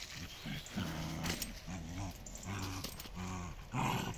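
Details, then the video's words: Miko and Kaela, dogs from a Dutch Shiba Inu and Samoyed kennel, growl through a game of tug of war. Deep, throaty growls roll out in five or six short pulses, each under half a second, ending with a sharper, louder snarl. "Miko and Kaela playing tug of war."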